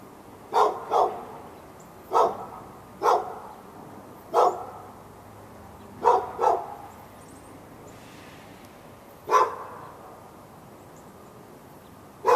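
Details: Backyard dog in Raleigh, North Carolina, barking continuously at a neighbouring dog through a fence on February 15, 2012, morning into afternoon; about nine sharp mid-pitched barks, some in doubled pairs, with irregular gaps up to three seconds.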